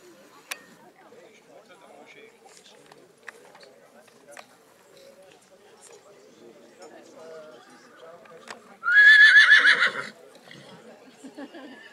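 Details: Black Forest Draught Horse (Schwarzwälder Kaltblut) at the foal show in St. Märgen, 11 August 2022, where the filly Revanna, born 26 March 2022, was shown; a loud, quavering whinny lasting about a second rings out near the end over a German announcer's commentary.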